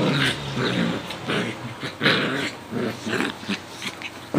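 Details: Coton de Tulear and Yorkie Lowchen mix at play, trading steady rumbling growls broken into short pulses about every half second, with rough snarling bursts throughout.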